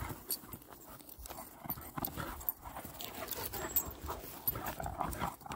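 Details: Two dogs, Aslan the Kangal and his best friend Neela the Doberman, reunited after a while and playing like puppies; quick breathy panting bursts follow one another irregularly, mixed with scuffling and thumps of rough play.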